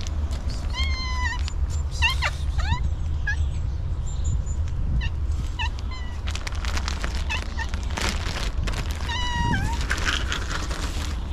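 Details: Very hungry homeless she-cat with no food for a long time: a run of sharp, pleading meows early on, brief clattering in between, then a longer drawn-out meow near the end, over low rumbling noise.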